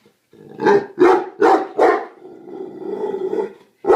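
A Neapolitan Mastiff gives four quick, deep, rough barks, then a drawn-out groaning tone and one more bark.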